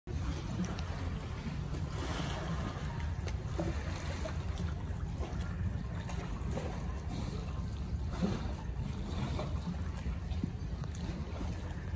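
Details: Broadband low rumble of water and boat-like noise with wind, no animal calls heard.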